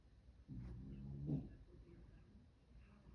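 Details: Louie the dog snoring while asleep indoors: one low, rumbling snore with a steady buzzy tone lasts about a second, then fades into soft breathing in a quiet room.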